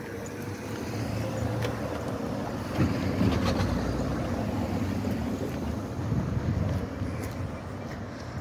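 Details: Continuous outdoor street rumble with wind buffeting the microphone and passing vehicle noise; no animal sound is heard.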